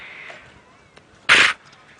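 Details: A plains zebra on a 4:30 PM safari drive in the Djuma/Kruger area on Sept 15, 2016 gives one short, breathy snort, a quarter-second rush of air, after a faint thin whistle.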